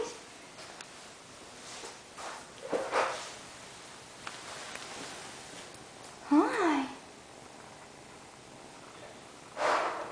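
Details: F3 hybrid sphynx kitten from a litter mixing hairless and furry siblings, kept at a cattery: one short rising-then-falling mew near the middle, among sniffs, soft rustling and a human voice in a small room.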